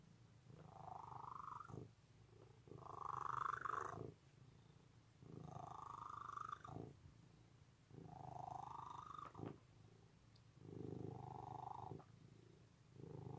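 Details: Loud, steady purring from a domestic cat, a low rumbling drone in six long pulses about every two and a half seconds as the cat breathes in and out, with no other sounds.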